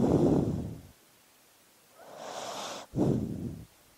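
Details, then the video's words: Dog asleep, heaving a deep low sigh, then a softer airy inhale and a second low rumbling exhale, with quiet pauses between. "Sleeping Dog Sounds"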